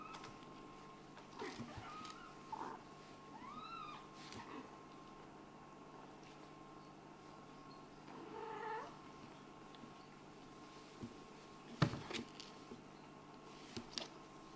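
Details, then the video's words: Kitten from a Scottish Fold and British Shorthair litter, meowing during play; a few short, rising-then-falling high meows spaced apart, with scattered knocks and thuds and a steady background hum. "This kitten is probably the one who meows the most with such a cute face!?"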